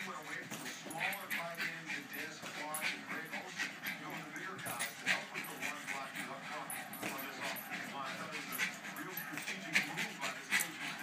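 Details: Betsy, a pet Jack Russell Terrier who loves to pop balloons, gives excited high whimpers and short yips in quick irregular bursts while people talk throughout and a faint background of music runs underneath.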